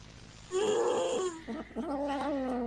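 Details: Cat giving a long, low, moaning meow that wavers and falls, followed by a second drawn-out yowl with a steady pitch, over a constant low background hum.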